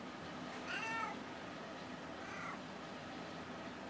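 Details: House cat prompted to say hello: one clear wavering harmonic meow followed about a second and a half later by a softer, shorter meow, in a quiet room.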